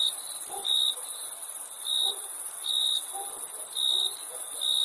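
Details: Slower cricket chirps, short pulses about once per second, over a steady shrill insect drone, with faint low clicks or murmurs in the background.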